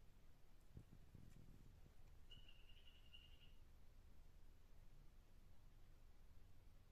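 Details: A single short buzzing trill from a tumucumaque dyeing poison dart frog, held at an even pitch for just over a second against quiet low-frequency background hum, with a brief tap beforehand.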